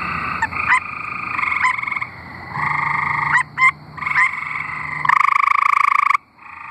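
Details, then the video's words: Arkansas tree frogs in song, several calling at once: steady nasal pulsed trills with quick clicks, ending in a loud harsh burst before a short quiet gap. "Singing tree frogs"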